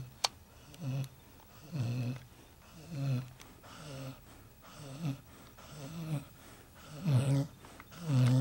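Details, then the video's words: Sleeping pet dog Red snoring loud enough to wake the household, deep throaty rumbles repeating roughly every second, growing louder toward the end, in a small indoor room. "my dog (red) snoring"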